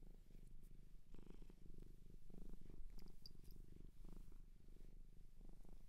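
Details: Shelter cat adopted in Japan, purring close up indoors: a steady low rumbling purr with rhythmic pulses, swelling and easing with each breath, a few faint high clicks midway.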